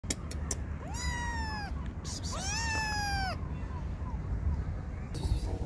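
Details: Stray mother cat with hungry kittens being fed: two long, loud harmonic meows, each rising then falling gently, around one and three seconds, with faint clicks and low outdoor rumble beneath.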